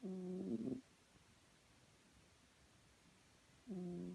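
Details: A pet cat called Chloe, fast asleep, snores with a steady humming tone on the breath, one snore at the start and another after a three-second pause, with faint room hiss between.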